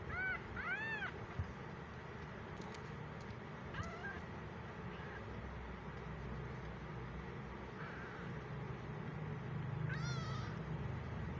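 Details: Lone tiny kitten, just fifteen days old, left alone in a gallery by his mother and unhappy in a new home, cries with high arched meows: a strong pair at the start, shorter mews later, over constant street noise.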